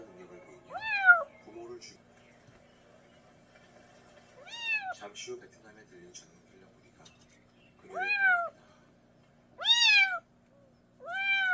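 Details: Adopted kitten from a mountain village crying, meant to drive off country mice: scattered rising-falling meows, several pairs close together, separated by quiet stretches with faint murmuring in the background.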